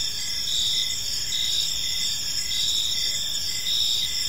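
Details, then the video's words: Crickets chirping in a peaceful park as evening falls, a dense high trilling chorus with pulsed chirps overlapping steadily, no other clear sounds. "Park Serenade: Cricket Sounds in a Peaceful Park | Evening Ambience"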